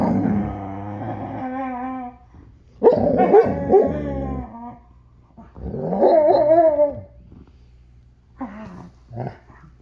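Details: Alaskan Malamute dogs vocalising, with a long harmonic moaning growl in the opening two seconds, then warbling, rising-and-falling talking yowls in several bursts separated by short pauses, steady low hum underneath.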